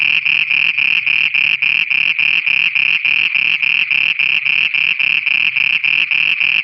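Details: Nighttime frog song in Pakistan, heard as a steady rhythm of short buzzy bursts, roughly three and a half per second, high and reedy with a low thudding undertone and no pauses.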